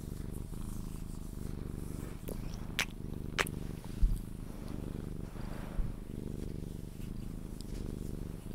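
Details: Low, even purring from a Sphynx cat being cuddled before sleep, with a few sharp clicks, a soft thud and light handling noise over the rumble.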